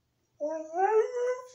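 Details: Dog howling indoors: after a short silence, a smooth tonal howl rises and then holds steady for about a second, ending abruptly with a brief noisy burst.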